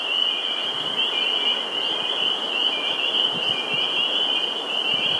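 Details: Vernal pool in Sudbury, Massachusetts, 11 April 2019: spring peepers form an intense, steady chorus of overlapping high piercing peeps that never pauses, with faint low rustling beneath.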